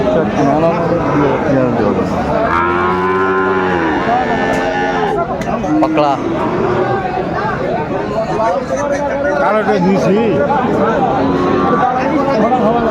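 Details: Sahiwal bull calf cattle at Aftabganj livestock market in Dinajpur, Bangladesh, 1 July 2025, as buying and selling begins. A full, sustained moo lasting nearly two seconds rises early on, followed by dense talk and crowd noise.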